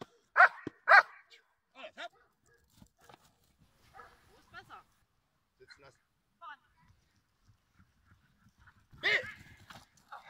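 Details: Giant Schnauzer during training in July 2017: two loud, sharp barks open the recording, another bark comes near the end, and a handler's spoken German commands and quieter sounds fill the gaps between.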